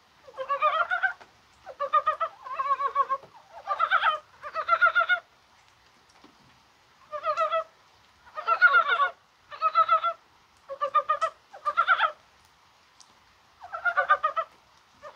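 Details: Rain falls on a warm-feeling January 21 as mountain frogs, possibly spawning, keep up a steady series of roughly a dozen throaty, pulsed croaks, each about half a second, with one longer pause midway.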